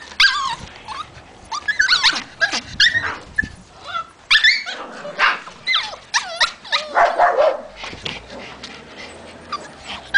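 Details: At a Hungarian kennel in Salgótarján, white Pulis bark in sharp, high bursts, some stretched into whining yelps, coming in irregular clusters every second or so across the recording.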